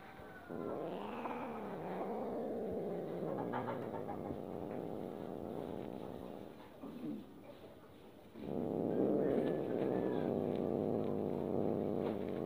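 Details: Domestic cat growling angrily while being stroked and disliking it: a long, low, droning growl with wavering pitch, a brief lull around seven seconds, then a louder, steadier growl resuming to the end.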